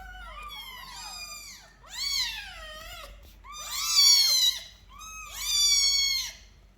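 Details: Caged indoor kittens meow repeatedly. Four bright, bent meows come roughly every one and a half seconds, each swelling and then falling away, with a quiet room behind them.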